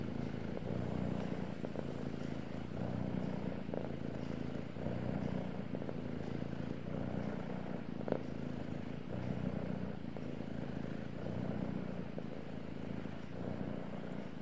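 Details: A male cat purring steadily, a low continuous rumble with soft rhythmic swells from breathing, about one every two seconds, and occasional faint clicks and rustles close by.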